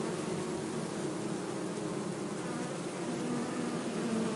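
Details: Bee buzzing: a steady, unbroken drone for the full four seconds. A low hum carries faint harmonic bands over a broad, hissy background with no pauses or distinct notes.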